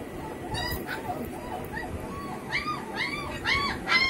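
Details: Several heavy-bone double-coat German Shepherd puppies, home bred, give rising-then-falling whimpers. The soft early whines grow into louder, quick, closely spaced yelping cries toward the end.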